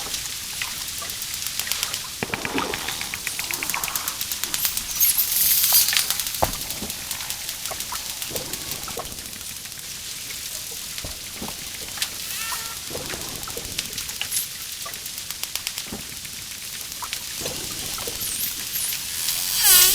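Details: Dolphin underwater, producing dense, rapid trains of high clicks that buzz and crackle almost without pause, with a few faint high whistled sweeps rising and falling near the end.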